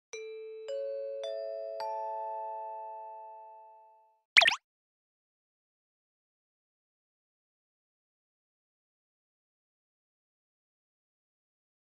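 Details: Four bright chime notes ring out in a rising sequence, followed by a short swishing sound effect. No animal voice can be heard.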